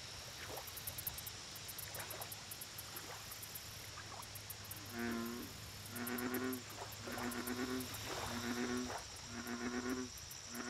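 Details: At a lake, an American bullfrog gives a run of deep, resonant, buzzy notes, roughly one per second in the second half. Softer calls come earlier, over continuous high-pitched insect clicking and a faint low hum.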